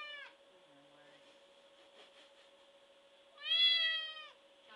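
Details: Large white domestic cat, shaved except head, neck, paws and tail tip, screaming for attention: a loud, drawn-out, rising harmonic meow late in the clip after the tail of an earlier one, over a steady hum.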